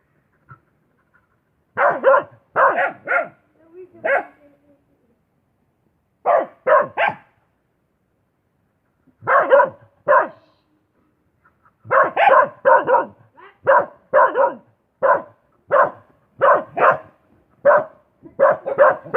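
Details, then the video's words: Dog barking in clustered bursts of two to three barks, a long pause mid-way, then a steady series of single barks roughly every half second to the end. "Suara Anjing"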